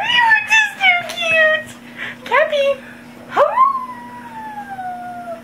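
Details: Pet dog howling in response to a played police siren, following a person's turn. Human voices come first, then rising yelps lead into one long, steady howl that slowly falls in pitch.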